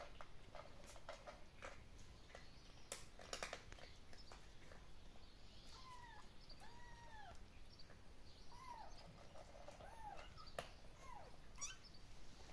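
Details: Kittens from two different mothers, living outdoors in a wooden shelter, mew while playing; several short high arching mews, some rising then falling, scattered across the middle, over rustling, thumps and a steady outdoor hiss.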